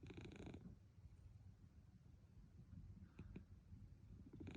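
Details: Munchkin cat taking a daytime nap, purring and snoring: a steady, soft, low rumbling purr throughout, with a brief burst of broadband noise at the start and faint clicks near the end.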